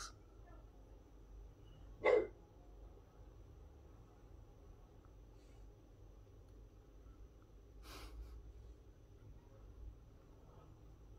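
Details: Bob, a French Bulldog in the garden, telling the neighbours off again because he likes his peace and quiet. One sharp, loud bark lands near two seconds, then a fainter burst near eight seconds over a low, steady background hum.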